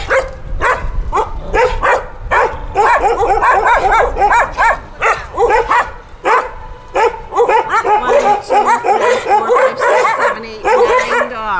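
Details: Group of street dogs found by rescuers in Punta Cana, Dominican Republic, barking in a dense, overlapping chorus of sharp yaps and barks, with whiny higher calls mixed in toward the end.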